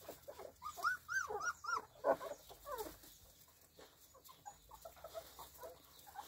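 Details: Spanish Mastiff on a farm, 1 May 2020: a quick run of high, arching whines, rising then falling, about six in the first two seconds, fading into softer, scattered whimpers.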